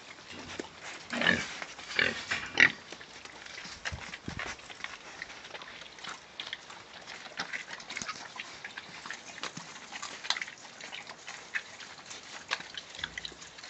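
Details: Pigs housed in a clean, well-kept shed give a cluster of rough grunts and short squeals early on, then quieter scattered snorts and rustling against a constant hissing background.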